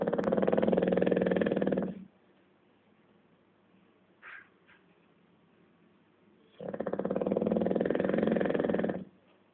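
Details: Rudy, a bulldog, snoring during a nap: long, rough, rumbling breaths about two seconds each, one at the start and another after a quiet pause of several seconds, with a small soft sound in between.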